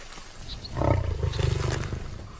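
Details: A wild male Asiatic lion, one of a tracked coalition resting for the day in India's Gir Forest, gives a deep, rumbling roar with a throaty, pulsing texture.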